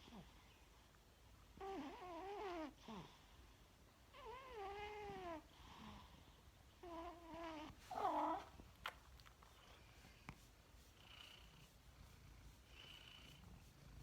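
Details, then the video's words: Cat asleep in a dining room, its snoring heard as a run of squeaky, wavering whistled tones, each roughly a second long and spaced by short gaps, followed by quieter breathy sounds and faint high squeaks. "Snoozing Snoring cat"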